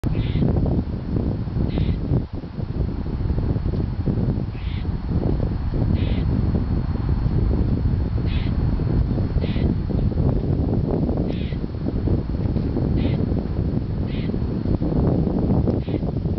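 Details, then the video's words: Squirrel squawking on a warm January 4, 2007 at Fresh Pond Reservation, Cambridge, Massachusetts, complaining despite plentiful food, filmed with a Canon S80; short harsh calls repeat about every one to two seconds over steady low wind and traffic rumble. "Squawking Squirrel"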